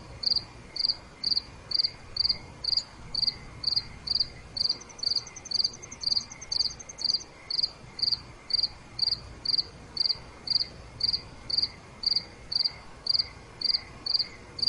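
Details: Crickets chirping at night: a steady train of short, high, pulsed chirps repeated about twice per second, with a fainter trilling insect overlapping briefly in the middle and a soft background hiss.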